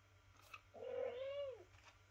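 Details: Indoors, a mother cat calls to wake her kitten for a feed: a single smooth, tonal meow, fairly low and steady, lasting under a second, with a faint click just before it.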